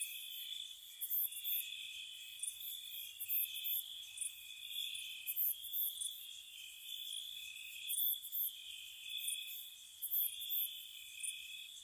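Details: Spring night near a cottage, crickets calling: an unbroken, ringing trill fills the background, overlaid by bright, clipped chirp bursts in irregular groups. Nothing else is heard.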